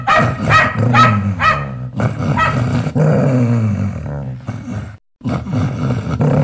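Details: Fierce pet dog defending its owner with loud barking: about two to three harsh barks per second over a deep growling undertone, a long snarling growl in the middle, then more gruff barks after a brief break.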